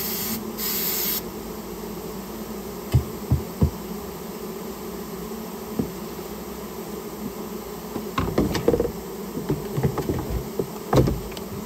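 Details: Rare Japanese honey bees being cleared from a storehouse where they had built their nest; a continuous low humming swarm drone sits under scattered knocks, scrapes and clatter from the removal work.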